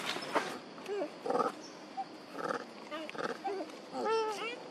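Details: Mother monkeys Duchess and Queen calling for their baby Quinton: several short arched wails and crying calls scattered among rustling and nearby noise, ending with a clear, rising-then-falling harmonic cry.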